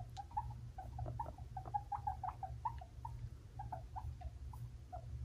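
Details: Amid a fight between two five-month-old male pet guinea pigs, Fluffy and Cocoa: short, mid-pitched chirping squeaks repeated several times a second, some faint knocks, over a constant low hum.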